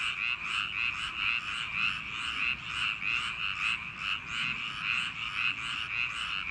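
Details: Summer-night paddy-field frogs in full chorus: steady, ringing croaks pulsing about twice per second, many animals calling together into a constant throbbing wall of sound.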